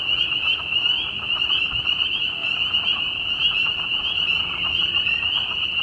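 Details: A dense spring chorus of spring peepers in Bloomington, Indiana, with southern leopard frogs and perhaps American toads: countless high, piercing peeps overlap into a steady shrill wall of sound with no pause.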